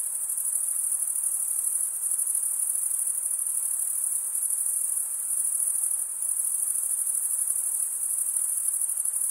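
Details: Male crickets stridulate, rubbing a serrated wing vein against the opposite wing. The result is an unbroken, piercing high trill, constant in loudness, with a faint hiss beneath.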